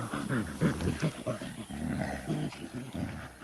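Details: Gorilla producing low, harmonic grunts and rumbling vocal bursts, close and continuous, with short breaks between calls.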